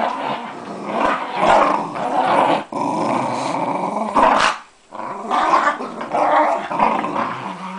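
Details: Jack Russell Terriers Casper and Dylan tussle over a Buzz Lightyear toy, producing sustained harsh growls with a short silent break near the middle before the growling resumes.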